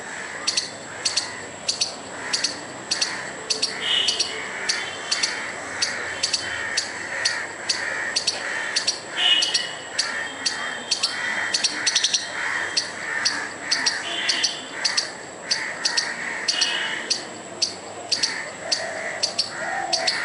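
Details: A squirrel gives a rapid, harsh chatter of sharp chips and clicks in agitated bursts, making furious noise to try to scare off a dog and a person.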